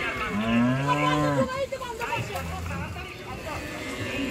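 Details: At a village cattle market, cows unloaded from the river side give a drawn-out, steady, deep moo followed by a shorter, lower one, over a constant background hum of the crowd.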